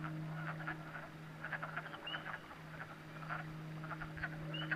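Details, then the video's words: Night chorus of frogs at a pond in New Hampshire: clusters of crackling clicks with a few rising whistled notes scattered through, over a constant low humming tone. "New Hampshire Frog Pond at Night"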